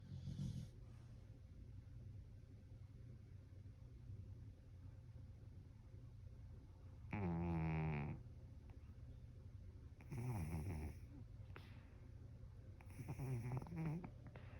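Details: Clarence the cat snoring while asleep: three rasping, low buzzy snores, each about a second long, come roughly every three seconds over a steady low indoor hum.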